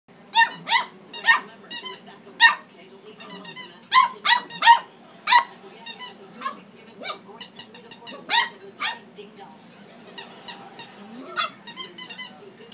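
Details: Jasper, a pet dog, barking at his squeaky toy: a burst of sharp, loud barks, several in quick succession, then spaced singles and pairs, with squeaks from the toy and faint human voices in the background.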